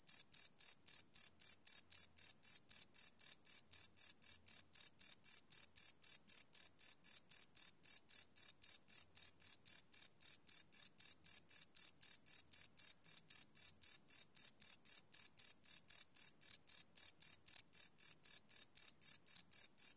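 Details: Crickets chirping and cricking after dark, a live Sony PCM D100 field recording without loops: rapid, regular, piercing chirps repeating near four times a second, uniform in volume, nothing else audible.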